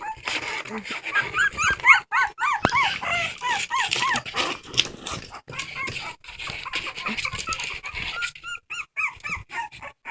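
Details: Dog crying in rapid bursts of high arched whines, about three per second, pausing midway and then resuming with shorter yelping cries, with human speech mixed in.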